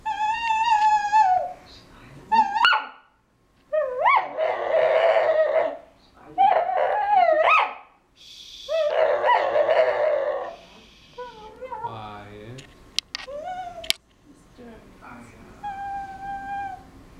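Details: Dog begging for his special blue toy in a small room, pleading with a run of high whines, yelps and wavering howl-like cries, some breathy and rough, coming in quick bursts with brief silences between.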